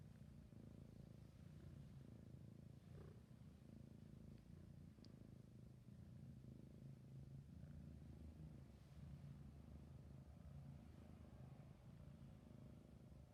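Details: Sleepy kitten purring steadily, a continuous low rumbling drone with a faint pulsing texture throughout, quiet and close, with no other clear sounds.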